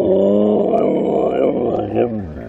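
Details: Loud watch dogs howling indoors: a sustained, wavering low howl with rich stacked harmonics holding for over two seconds, pitch wobbling and dipping near the end.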